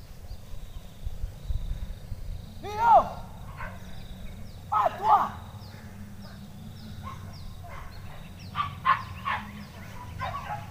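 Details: Hunting dogs released to chase wild boar through thick undergrowth, heard from behind the bushes; two loud, falling, harmonic yelps a couple of seconds apart, then fainter barks, with men's voices and rustling nearby.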